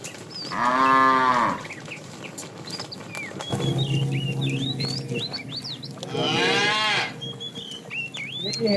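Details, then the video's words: Tame cattle being herded in the afternoon, a fat cow calling; two harmonic moos, the first lasting about a second, the second rising and harsher, with many small birds chirping and whistling throughout. "The funny sound of a fat cow calling the female"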